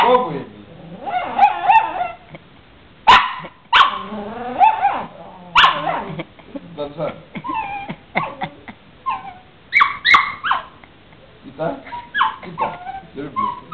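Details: A female puppy chatters at her owner in a string of warbling whines and drawn-out, yodel-like grumbles, some loud and sharp. Greek speech from a man runs through much of it.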